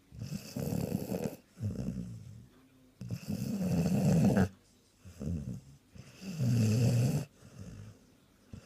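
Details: A very loud Sprollie dog snores through a post-Christmas-dinner nap. Long, gravelly rumbling breaths alternate with shorter snorting exhales, making a rough cycle about every three seconds in a quiet indoor setting.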